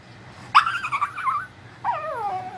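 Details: Shih Tzu whining indoors: two drawn-out whimpers, the first high and wavering before easing down, the second sliding steadily downward, over a constant low hum.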